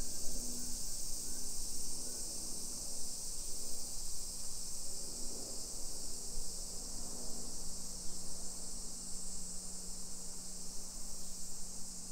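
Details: Chorus of summer cicadas heard while walking a hillside residential area near Nagoya, Japan, at 1 PM, July 2021: an even, high, sizzling drone over a low continuous hum and faint street sounds.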